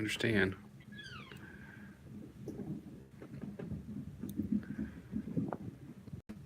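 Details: The Australia kittens indoors: one high, thin mew that sweeps downward and then levels off, followed later by a fainter short mew, with people talking over much of it.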